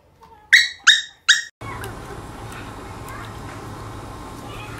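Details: Young female Shetland Sheepdog named LaLa, a puppy growing up: three sharp, high yips in quick succession about a third of a second apart, followed by steady hissing background noise.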